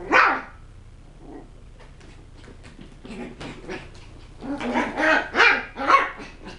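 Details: Playful West Highland White Terrier puppies at a kennel giving tricks and threats: a sharp opening yap, then quieter scuffling, rising to a burst of rapid, shrill, growly barks repeated about twice a second.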